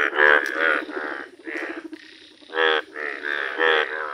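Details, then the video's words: Indian bullfrog, yellow in colour, calling outdoors: a few strong, nasal croaks, then a quieter, droning stretch, followed by three more loud, harmonic bursts near the end. "Rare Yellow Frog Wonderful Indian Bullfrog Video | Frog Sounds"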